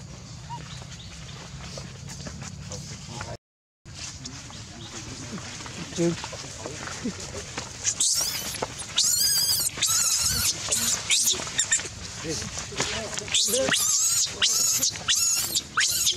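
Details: Baby monkey crying loudly: after quiet murmuring and background voices, a run of shrill, high, arched screaming cries starts midway and repeats rapidly in harsh bursts to the end.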